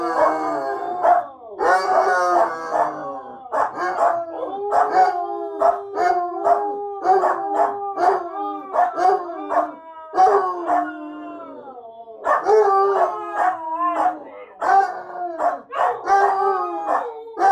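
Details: A Husky, a Basset Hound and a small dog called Lady break into a group howl as dinner is readied; short overlapping yodelling howls and whines repeat in quick bursts, with occasional barks mixed into the chorus.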